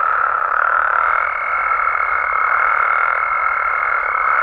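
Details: Nighttime Mexican frog and toad chorus, a thick continuous wall of croaking, joined after about a second by a sustained high-pitched tone that holds to the end.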